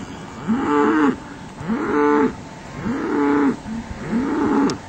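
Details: Herd of cows resting midway on the drive to spring pasture: four arched, nasal moos rise and fall in turn, about one every second and a quarter, over a constant outdoor hiss.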